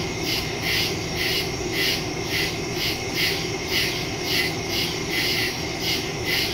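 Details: Crickets in the woods at night, September 2, phone recording through a stereo microphone: pulsing high chirps recurring roughly twice a second, steady and layered, with broad low background rumble beneath.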